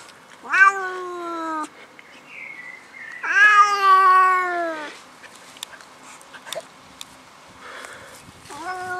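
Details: An angry pet cat making weird noises: long, drawn-out, wavering yowls with rich harmonics, one short and one longer and louder, then the start of a third, with faint indoor clatter in between.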